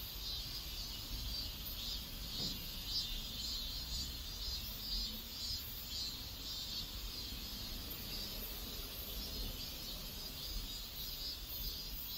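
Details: Cicadas in a residential neighbourhood in South Korea: a steady, high, hissing drone with a faint pulsing throb, heard under broad background noise and low rumble.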